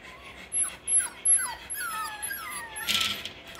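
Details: Litter of six-week-old Russell Terrier and Parson Russell Terrier puppies gives a run of high, sliding whines and short whimpers, some dropping in pitch, with a brief rattling clatter near the end and little background noise.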